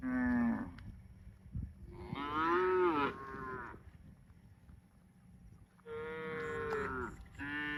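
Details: Cattle lowing in a series of long, harmonic moos, the second one rising and then falling in pitch, with quieter pauses between calls and a brief final moo at the end.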